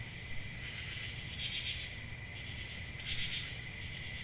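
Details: Continuous high-pitched cricket chirping holds a shimmering, even tone throughout, with two short brighter swells and a faint low hum underneath.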